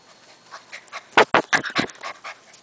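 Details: Golden Retriever puppy, six weeks and five days old, gives a quick run of short, sharp yaps in the middle of the clip. Softer breathy huffs come before and after it against a quiet background.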